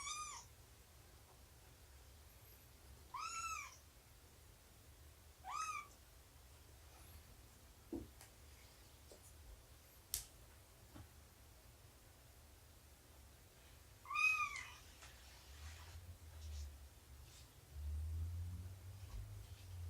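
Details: Kitten-and-mother play session indoors with Shelby, an estimated two-year-old rescued cat; four high arched meows at irregular intervals over a quiet room hum, with a few sharp clicks and a low rumble near the end.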